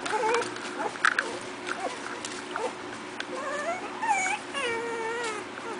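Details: A 4-week-old litter of Miniature Pinscher puppies, playing, gives thin, high whimpers and squeaky whines, some rising and wavering.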